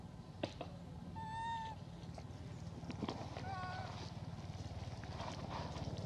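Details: A female hybrid monkey gives thin, squeaky whistled calls to ask for food over a steady low rumble.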